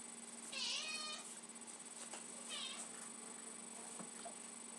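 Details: Lucy, a pet cat, meows insistently for tuna she smells: two drawn-out, wavering meows, the first long and loud, the second shorter, over a steady indoor hum.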